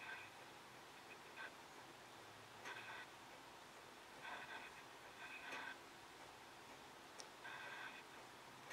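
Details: Scottish Fold kittens, 3.5 weeks old, give thin, high-pitched mews in short bursts over a faint background hiss.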